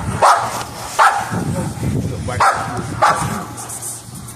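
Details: Dogs at bite sleeve training, an XL American Bully male and an American Bulldog hybrid female: four short, sharp barks at uneven intervals of under a second to over a second, over a low rumbling background with faint human voice.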